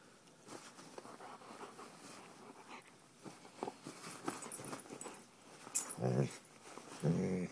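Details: Old English Sheepdog playing with a blanket: soft rustling at first, then two short, low, rough growls near the end, about a second apart.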